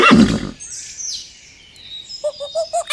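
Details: Horse whinny sweeping high then falling, after a loud rough burst at the start, with short chirping sounds near the end.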